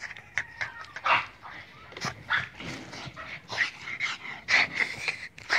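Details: Boston Terrier asked in Hungarian to speak, giving about a dozen brief squeaky yips and drawn whines in irregular bursts, mixed with a person's coaxing voice.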